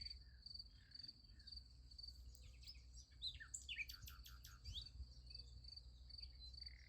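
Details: Beside a sunflower field at night, crickets keep up a constant high, pulsed trill while a cluster of sharp chirps and buzzy notes breaks in around the middle.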